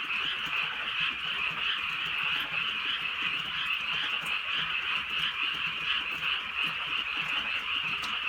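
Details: A steady frog chorus in the countryside at night during light rain in Korea, many overlapping high-pitched croaks in quick pulsing rhythm, with soft rain patter behind.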